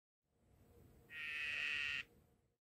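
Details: Courting male Cobalt dyeing dart frog calling to a female, who taps his back as he keeps calling; a single even buzzing trill lasting about a second over a faint low background rumble.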